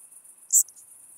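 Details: Chabrier's marbled bush-cricket in Arzo, Switzerland, on 4 August 2023: a single short, very high-pitched chirp stands out against a steady thin high hiss.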